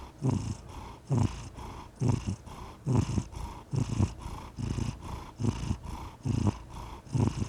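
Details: Contented domestic cat giving a rhythmic rumbling purr, louder pulses repeating roughly every second as it breathes, quiet surroundings.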